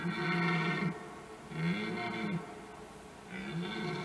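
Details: Several red deer stags, some fighting, give deep, harmonic roars in repeated bouts of under a second during the 2021 rut.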